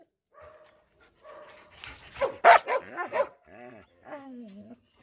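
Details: Dog whining in drawn-out tonal notes, breaking into a short cluster of loud barks, then a falling whimper.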